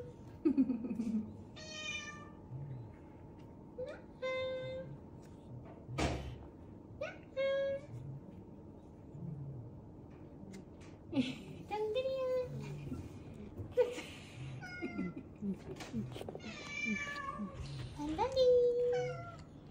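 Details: Weak, rescued kittens found huddled together and clinging to each other on the way home from a family funeral. Short, high, thin mews come in scattered bursts throughout, some rising and some falling, with faint voices and room noise between them.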